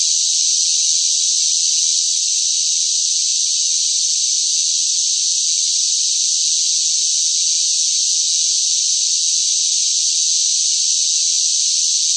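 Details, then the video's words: Noisy cicadas singing in sweltering summer heat: a dense, unbroken high-pitched hissing drone that holds steady from start to finish with no pauses or pulses, and no other sounds. "뜨거운 무더위 속 시끄러운 매미 울음 소리, 시끄러운 매미 소리가 듣고 싶을 때"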